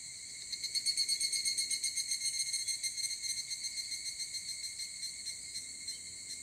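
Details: Higurashi cicadas singing at 4 a.m. on a cool early morning walk: a shrill, metallic, rapidly pulsing trill that swells then gradually fades and slows, ringing steadily with no other notable sounds.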